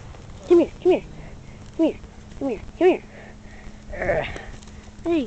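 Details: Emily, a husky/wolf mix known as the household talker and the runt of her litter, gives short, arched, whining yelps with a rising-then-falling pitch. About six come in quick succession, and a brief burst of human voice sounds near the end.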